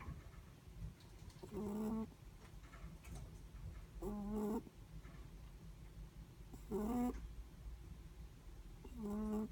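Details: Sleeping Netherland Dwarf rabbit's breathing, heard as four nasal, harmonic snores at a slow steady pace, each under a second long, with faint background hum between them.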